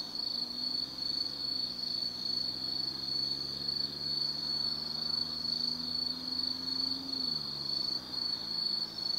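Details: Night chorus of autumn insects in Tsukimi no Mori, Kaizu, Gifu Prefecture, Japan, heard from a hilltop viewpoint over the Nobi Plain; shrill continuous pulsed trilling, with a low droning hum of distant traffic gliding underneath.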